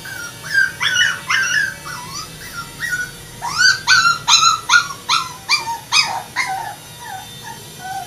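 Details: Poodle giving a rapid, steady series of short, high, rising whines and yips, roughly two to three per second. The notes are clear and harmonic. They grow louder and denser midway, then fade slightly toward the end, with no other clear sounds.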